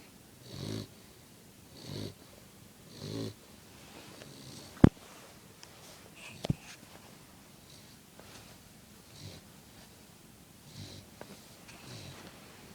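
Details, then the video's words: Puppy snoring: three clear low snorts early on, then fainter irregular breaths, broken by two sharp clicks or knocks near the middle. "Puppy Snoring"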